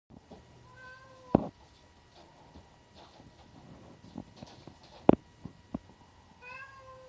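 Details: Hassaku, a black-and-white tuxedo cat kept with the orange tabby Chatoran, recorded indoors on 9 April 2025. Two short, tonal meows, one near the start and one at the end, are separated by sharp knocks and clicks.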